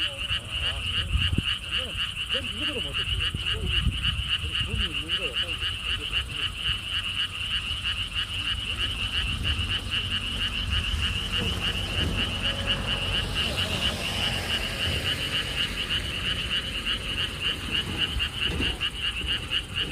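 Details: Frogs calling at a lotus park with a stone wall path in Siheung, Korea: steady pulsed croaking chorus throughout, mixed with gusty wind, a passing engine drone and faint distant voices.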